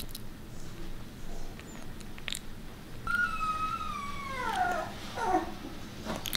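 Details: A single puppy, one of Bek's litter, gives a soft drawn-out whine that slides downward and wavers, followed by a shorter second whimper, against a quiet indoor background with light rustling.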